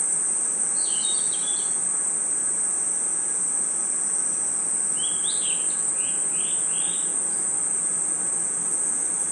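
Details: A continuous piercing insect hum from crickets in a night forest, with two clusters of bird-like chirps: a short twitter early, then a run of four or five descending notes.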